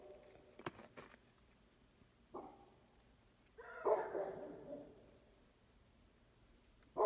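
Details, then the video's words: Beagle and Basset Hound mix barking at strangers: a short bark, then a longer drawn-out baying howl, against a faint background hiss and a few clicks. "Beagle (Basset Hound mix) barking at the strangers"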